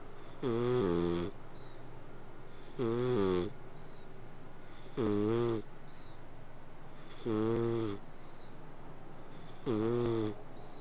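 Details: Domestic cat snoring and purring while sleeping, five even, rasping tonal breaths repeated about every two and a quarter seconds in a steady rhythm against faint background hiss.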